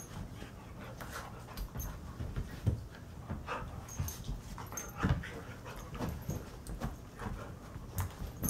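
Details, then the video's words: Alaskan Husky Painter, aged seven, and six-month-old Karelian bear dog Blue tearing around the house at play each morning; irregular snorts, low growly grunts and heavy panting over frequent bumps and scrabbling paws. "Puppy play time"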